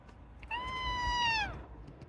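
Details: Black cat giving a single clear meow about one second long, held steady and then falling away at the end, over a quiet background.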